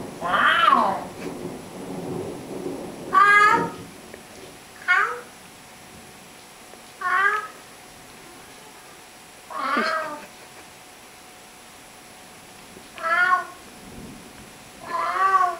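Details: Domestic cat chatting with its owner, giving seven short meows, mostly rising then dropping, irregularly spaced one to three seconds apart, with a faint low rumble early on.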